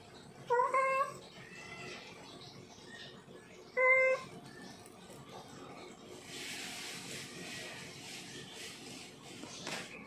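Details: Domestic tomcat in heat calling to a female: two short, clear meows near the start, separated by a few seconds of quiet, followed by a stretch of broadband hissing noise with no further calls.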